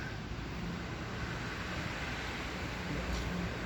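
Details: Steady low rumble of traffic and vehicle noise, with no animal voice to be heard.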